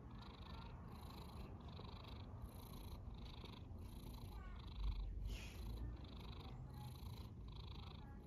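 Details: Sleeping cat snoring, soft airy rasps pulsing in a fast, steady rhythm above a constant low rumble, one slightly louder breath near the middle.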